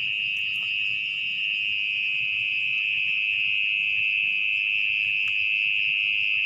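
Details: Continuous, shrill trill of a mole cricket hidden in its burrow beneath muddy soil at night, steady and unwavering for the whole stretch, with a couple of faint clicks from digging.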